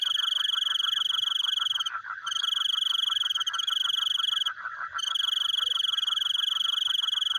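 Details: Nocturnal frog chorus of quick, rhythmic pulses, nearly unbroken, beneath a loud, continuous high-pitched insect-like trill that halts twice briefly.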